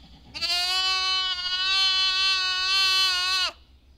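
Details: A lamb's long drawn-out baa of roughly three seconds, nasal and richly harmonic, holding a level pitch and dipping briefly at the very end, over a faint low hum.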